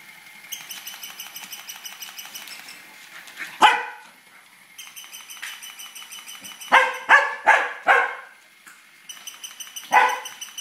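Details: Tibetan Terrier barking as it chases a toy rat; loud sharp barks, one alone then a quick burst of four, then another, over a steady high-pitched whine in the background.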